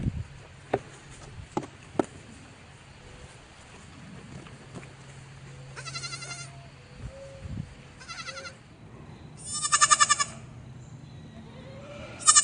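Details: On a farm, after a few sharp clicks and knocks, a baby goat starts bleating in quavering bursts, growing louder toward the end.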